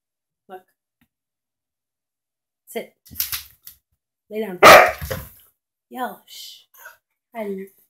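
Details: Gator, a pet dog fond of bacon, lets out a single loud, sharp bark amid bits of quieter vocalizing. A person's affectionate speech is heard around it.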